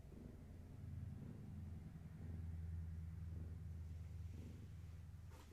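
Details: Low continuous purring from a household cat among Gaia's kittens indoors in the evening, a deep droning rumble that swells and eases with each breath, with a brief rustle near the end.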